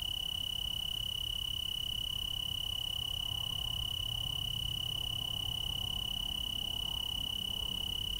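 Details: A tree cricket chorus in the Willamette Valley, Oregon, blends into one steady, high, sweet ringing trill that never pauses.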